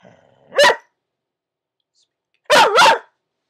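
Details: Pet dog barking on the command "speak": one short sharp bark, a two-second pause, then a double bark with a wavering, yodel-like pitch; a person's voice gives the command.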